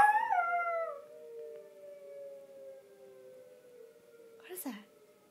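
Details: {'caption': 'Pet Yorkshire Terrier named Hershey howling as the tornado warning siren sounds. One short howl falls in pitch, then the wavering siren continues alone, with a brief noise near the end.'}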